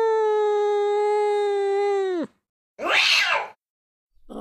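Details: Angry cat holding a flat, steady tonal yowl for about two seconds, which drops away sharply, then a short, breathy hiss-like burst after a brief gap.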